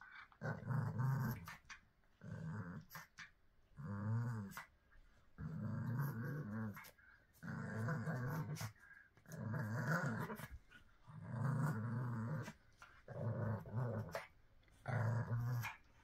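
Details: Pug in a small room producing about nine rough, low growling grumbles over sixteen seconds, each burst roughly one second long and repeated every one and a half to two seconds.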